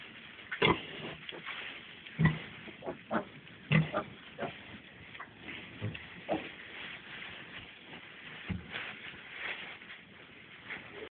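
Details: Suckling piglets, four days old: a few loud, abrupt grunts early on, then quieter, uneven grunting continuing beneath a constant low rustle.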